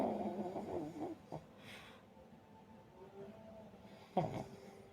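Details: Drowsy pug that cannot decide between barking and snoring gives rattling, wheezy snores, then a quiet pause and one short snort-like huff near the end.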